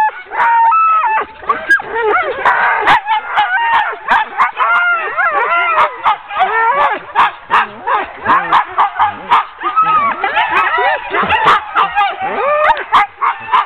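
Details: Ten sled dogs clamour while being harnessed for a training run, 16 October 2010; rapid choppy barks, yips and arching whines from many animals overlap continuously, with scattered sharp clatters from the hook-up.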